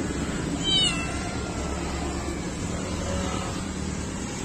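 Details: Kittens after bath time, one short, high-pitched meow near the start, then steady low background hum and room noise.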